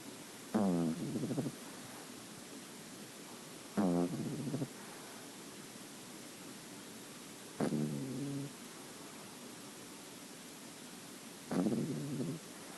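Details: Nine-week-old female French Bulldog puppy, white creamy in colour, snoring: rattly, low snorting breaths about every four seconds, each lasting roughly a second, separated by quiet room hiss.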